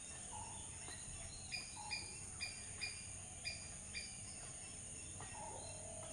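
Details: Squirrel calling with short, sharp chirps repeated roughly every half second, broken by a few brief lower whistled notes, over a steady high hiss.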